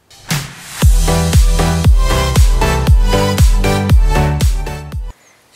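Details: Loud electronic dance music with a heavy, steady beat and no animal sound.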